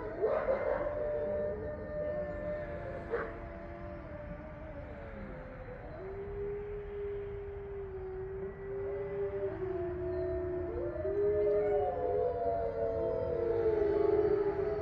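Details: Captive grey wolves, eight at a sanctuary in Ipswich, Massachusetts, giving a full moon chorus on November 27, 2023; long drawn-out howls with clear pitch slides, voices joining in one after another and swelling toward the end.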